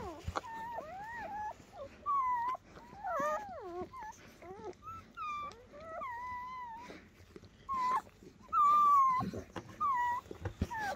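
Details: High, wavering cries from newborn German Shepherd pups, part of a ten-puppy litter born overnight to the mother Betty: drawn-out squeals that slide and dip, arriving in loud bursts separated by short quiet gaps.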